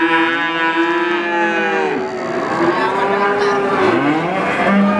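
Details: Calf mooing, drawn-out harmonic bawls with a steady pitch that bends downward, several calls overlapping as more than one animal calls at once, filling the whole stretch with no pause.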